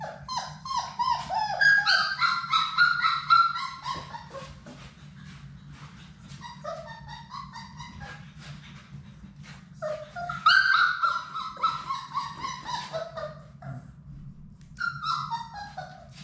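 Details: Sadie's six Labrador Retriever pups playing indoors in their play room: long strings of high, wavering whines and yips in quick succession, pausing and then resuming twice, against a steady low background hum.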